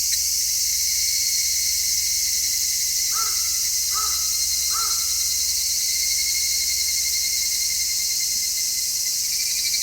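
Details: Cicadas singing in midsummer, recorded in stereo on an MKH-416 microphone: a steady, piercing high drone throughout. Three harsh caws from a bird come in a quick series midway.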